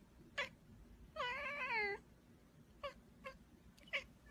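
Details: A cat lets out one quick meow, then a long wavering meow of nearly a second that sags in pitch at the end, followed by three short, fainter meows in a quiet room.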